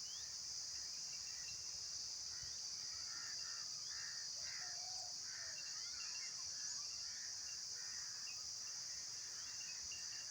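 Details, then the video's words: Continuous insect drone, a high, even, hissing buzz that never pauses, with soft bird chirps and short warbled notes scattered across the middle range in the background. "Insects Making Sounds"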